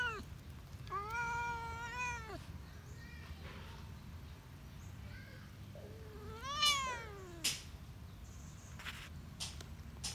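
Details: Cat at a countryside spot meowing twice: a long arched wail first, then a shorter rising-falling meow around six seconds, against a low rumbling background with a few sharp clicks and knocks.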